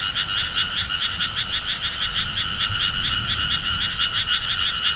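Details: A summer countryside frog chorus, noisy as described: many frogs give fast, rhythmic, pulsed croaks that swell and fade several times a second, layered into a loud steady drone.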